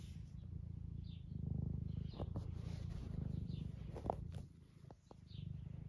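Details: Eric, an 11-year-old semi long-haired domestic tabby cat in the UK, purrs while being stroked and seeking attention: a steady low rumbling throb that swells and fades, with a few soft clicks and taps over it.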